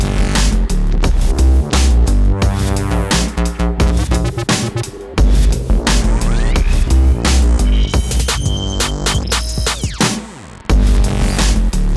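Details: Loud electronic dance music with heavy bass drops and synth sweeps fills the whole stretch, with no animal sound.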